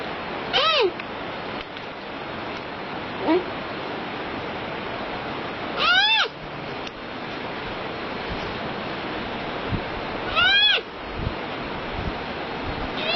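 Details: Panda repeating short descending harmonic bleats, three clear calls about four to five seconds apart, plus a faint one at the end, over constant hissing noise.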